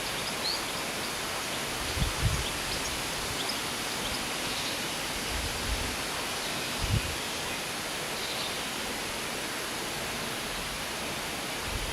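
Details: Steady outdoor hiss like rushing water, with a few soft low thumps and no clear animal voice.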